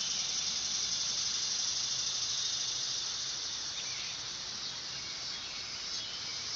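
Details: Steady, shrill summer buzzing of a dog-day cicada (Neotibicen canicularis), loudest at the start, easing slightly mid-way and then holding as a continuous hiss-like drone.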